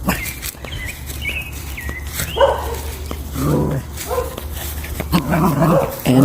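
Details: A dog in a backyard on a hot, dry morning after weeks over 100 degrees gives several short, rough barks, preceded by thin high whistled birdsong, with a low steady hum and a voice nearby.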